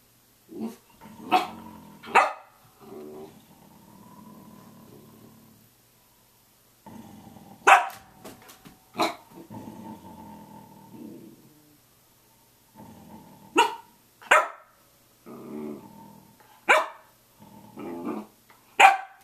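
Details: Samoyed vocalizing at 6:00 a.m.: bursts of loud, sharp barks, several in a row, interleaved with lower rumbling groans and a few silent pauses.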